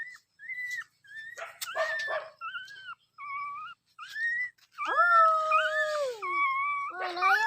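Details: Dog voicing a run of whined, tonal yelps, several short notes then longer sliding howls that dip and fall toward the end, with one or more voices overlapping.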